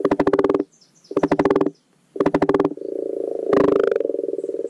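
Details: Spring spawning chorus of common frogs (Rana temporaria) in a garden wildlife pond: three loud, rapid, low, rattling croak bursts about a second apart. Continuous purring croaks follow, with one harsher, rasping note rising above them.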